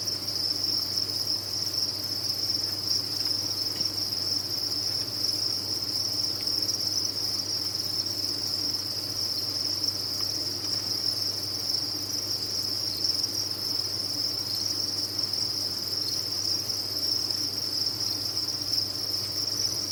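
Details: Crickets kept on a cricket farm, many calling together in a dense, unbroken high-pitched trill that holds steady throughout, with a faint low hum underneath.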